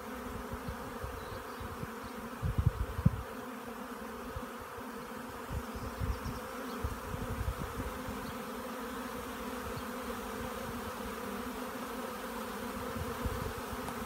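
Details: A honey bee swarm settling in a Devon hedge on a warm, sunny midday in May (12:30, 5 May 2018) makes a dense, steady, low droning hum, with occasional louder passes.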